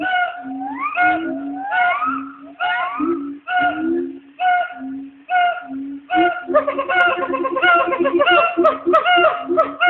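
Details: Pair of black siamangs calling to each other from the trees at the Nashville Zoo, a midday routine: low booming notes alternate with rising whooping yelps, accelerating into a dense, overlapping chorus of barks toward the end.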